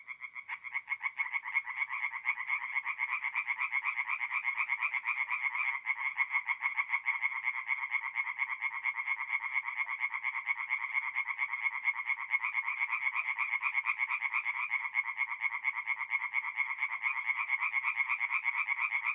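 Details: Night chorus of singing tree frogs at a forest pond in north-eastern Italy, mid-April; many callers produce a steady, fast-pulsed rattling drone that stays unbroken and uniform from start to finish.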